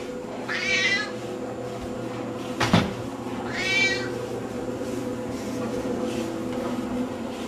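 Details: Domestic cat in Madrid chasing a camera around, giving two clear meows near one and four seconds, each a harmonic-rich rising then falling cry, with a sharp knock between them over a steady indoor hum.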